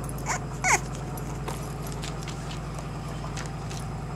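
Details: Cavalier King Charles Spaniel puppies from Una's 2009 litter, with Blaze and Yamka, at a registered breeder: two brief, high whimpering yips, the second sliding downward, over a steady low mechanical hum.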